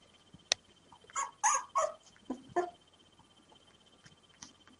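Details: Five hand-fed puppies, three days old, rescued after being thrown from a bridge in a bag, whimper before feeding time: several short high squeaky cries in a quick cluster, then a lower whine and a faint later squeak.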